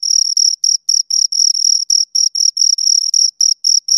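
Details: High, rhythmic chirping from two crickets: short shrill bursts repeated about four times a second, a few gaps slightly longer than others, heard in a quiet setting with no other sound.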